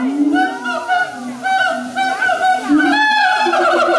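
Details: Territorial calling by siamangs at Taipei Zoo, September 2015: a loud, overlapping series of hooting, wavering notes that climb and dip, building into faster, rising whoops near the end.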